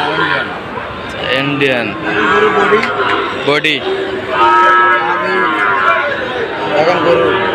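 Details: Sahiwal bull calves at Ambari market in Sylhet, Bangladesh, on 2 October give irregular moos roughly every two seconds, one long steady low near the middle, amid busy crowd talk and occasional clatter.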